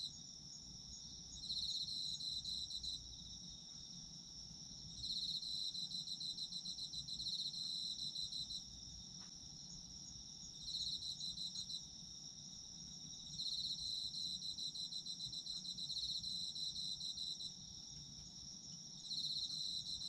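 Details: Chorus of autumn insects: a steady high ringing trill with a louder pulsed chirping layer that swells in bursts of about two to three seconds, repeating roughly every five seconds.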